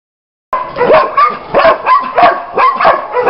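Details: German Shepherd dog giving a quick run of short, high-pitched, yelping barks with a whiny tonal edge, roughly seven bursts in under three seconds, starting abruptly after a brief silence.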